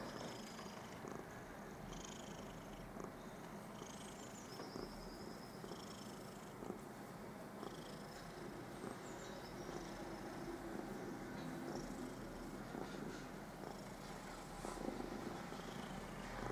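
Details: Domestic cat Püppi, content and happy, lying on her newspaper, purring in a steady low continuous rumble throughout, with faint high chirping sounds in the background.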